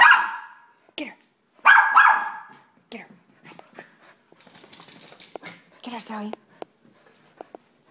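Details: Two strong, rough barks from a Soft Coated Wheaten Terrier open the recording in quick succession. Quieter yips and a person's soft talking follow, with small indoor clicks.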